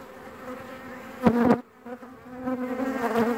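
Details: Virgin queen honey bee piping: a loud, harmonic, steady toot lasting about a third of a second, followed by a softer sustained tone over the colony's hum that swells again toward the end.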